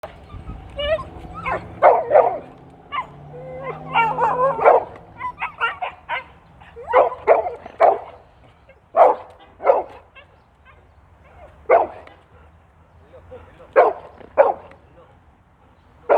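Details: Domestic dog barking to challenge another dog seen near the house: rapid overlapping bursts of barks for the first five seconds, then sharp single barks every one to two seconds, with a faint human voice underneath.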